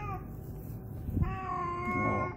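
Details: Hungry, cross domestic cat back home gives a short meow, then after a pause a longer, level, sustained meow, with a low muffled background drone and a brief knock.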